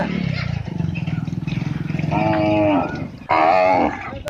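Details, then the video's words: Village cow calf in India: a low pulsing grunt-like rumble at first, then a brief strained moo rising and breaking off, followed by a second short higher moo near the end. "cow calf sound# Baby cow sound"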